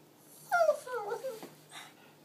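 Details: A female Pekingese dog singing: one short, whining howl that slides downward in pitch, then a few fainter wavering notes, recorded indoors with a faint steady hum.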